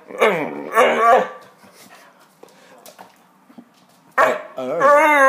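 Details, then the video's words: Hungarian Vizsla at home trying to talk with its owner: two short warbling moans, a quiet gap with faint rustling, then a long, clear, wavering whine-howl at the end. "Magyar vizsla Ema trying to talk"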